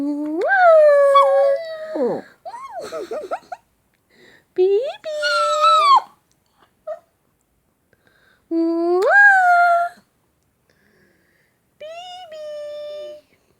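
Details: Young Shih Tzu pup vocalising when kissed or called baby. Several rising, howl-like whines in short bursts, some wavering and sliding in pitch, separated by quiet gaps, with a person's voice mixed in.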